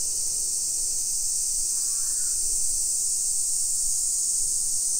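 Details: Cicadas in summer in suburban Nisshin, Nagoya, Japan, early afternoon of 28 July 2021, keep up a loud, continuous high buzzing drone; midway, a short harsh cawing call rises briefly over the chorus.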